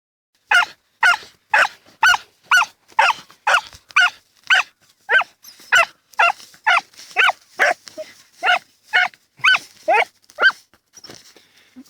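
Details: Autumn 2015: two Dachshunds, Tasya and Kessi, digging in a field, with sharp high barks in a steady run about every half second, over twenty in a row, fading to scattered yaps at the end.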